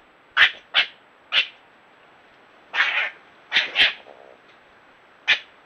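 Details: Squabble between a red fox and a European badger, filmed by trail camera in Ireland: three quick harsh yelps, a longer grating snarl, a close pair of screeches, then one last sharp cry after a pause.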